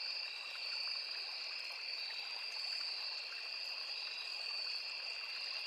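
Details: Crickets in a forest beside a small river, an unbroken high shrill chorus holding two steady pitched tones, with faint ticking pulses and a soft rushing of flowing water underneath.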